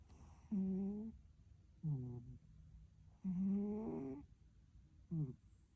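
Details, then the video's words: Domestic cat asleep and snoring, four humming, buzzy breaths alternating long and short, each with a low droning tone, spaced about one to one and a half seconds apart in an otherwise quiet room. "My Cat Is Snoring"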